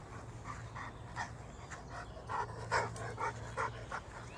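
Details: Greater Swiss Mountain Dog panting in a forest near Ulvenhout on 17 January 2016: quick, breathy huffs, about two or three per second, uneven in strength, with a faint low hum underneath.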